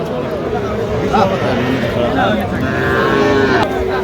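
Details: Young cattle, small bulls and heifers, at a livestock market in Feni, Bangladesh, on 15 November 2025, with farmers buying. A drawn-out lowing moo rises through dense market chatter, with men haggling over prices nearby.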